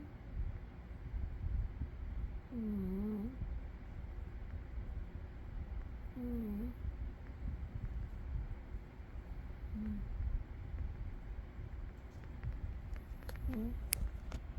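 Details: Umi, a sleeping cat, snoring softly: short nasal snore sounds with faint squeaky tones recur about every three to four seconds over a low, steady rumble, with a few faint clicks near the end.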